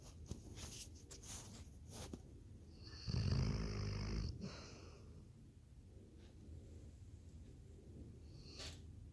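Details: Labrador Retriever asleep and snoring, a single deep rattling snore of about a second after quiet breathing, with a few faint clicks in the background.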